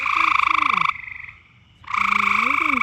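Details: A loud frog in the mating season gives a continuous buzzy, rapidly pulsed trill that breaks off for about a second and then resumes. Low, sliding voice-like tones sound beneath it.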